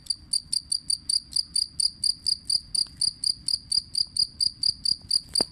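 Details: Two-spotted cricket chirping steadily as tutor audio for songbirds. High, ringing pulsed chirps with a clear overtone, about two per second, evenly spaced throughout over a faint low hum.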